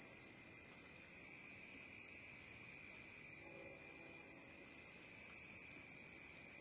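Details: Cicadas along the Licking River at Morning View, recorded between dusk and dawn: a steady, unbroken high-pitched buzzing drone with no pauses or rhythm changes, over faint low background rumble.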